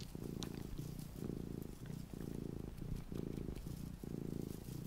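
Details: Small pet cat purring close to the microphone, indoors: steady low rumbling purr in rhythmic pulses of about a second, breathing in and out, with faint soft background hiss.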